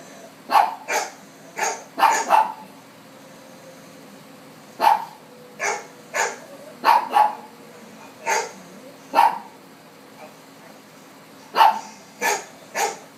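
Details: Domestic dog reacting to dogs seen on TV with a run of short sharp barks, often doubled, scattered irregularly over the stretch with quiet gaps between bursts, a faint low hum underneath.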